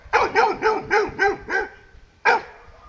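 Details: Mario the dog, scared of a buffalo met during a morning walk, barks six times in a steady rapid series, pauses briefly, then lets out one more sharp bark.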